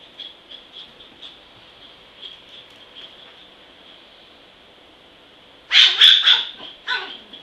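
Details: Zen, a small dog said to be vicious, stays almost silent behind a faint steady hum for several seconds, then erupts into a tight cluster of shrill, rapid barks, followed by one more yap.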